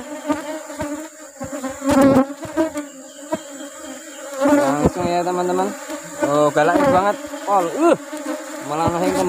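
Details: Asian honey bees around a colony at honey harvest time, with rubber trees flowering: a loud buzzing drone that wavers and swoops up and down in pitch as individual bees fly past, with a few sharp knocks.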